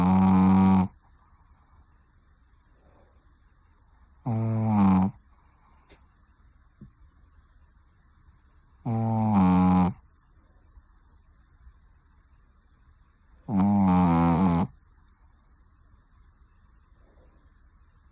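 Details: A sleeping Pekingese snores in loud, harmonic-rich rasping bursts about a second long, four times at roughly four-second intervals, each separated by near silence.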